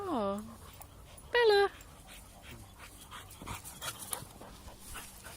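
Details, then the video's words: Pet dog swimming and making a strange noise as its owner runs away: a high whine slides quickly downward, then a second loud, steady, nasal whine follows about a second later, with a woman calling and splashing water around. "My dog makes a strange noise whilst swimming"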